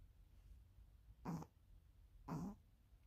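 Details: Pomeranian named Ponzu snoring like a tuba, two brief deep honking snores about one second apart over faint low hum.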